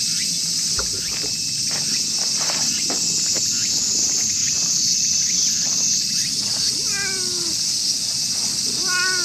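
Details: Jealous tortoiseshell cat in a park, angry while a tabby nearby is petted, gives two brief falling meows near the end, after rustling and soft taps, with constant high cricket and insect noise throughout.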